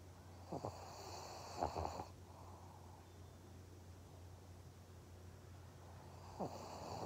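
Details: Maria, a pet pug in Japan, snoring indoors: short rough snorts near half a second and around 1.7 seconds, a quiet breathy stretch, then another snort at about 6.5 seconds over a steady low hum.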